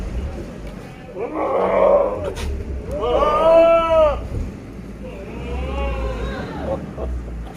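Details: Big male Sirohi goat on a farm in Pushkar, Rajasthan: three loud, nasal, arching bleats in quick succession, the middle one strongest, over a low engine-like rumble and faint voices.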